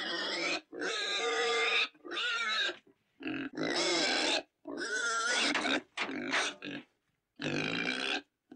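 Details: Pig giving loud, nasal squeals in bursts of about one second, separated by short silences, roughly eight calls with strong harmonic tones.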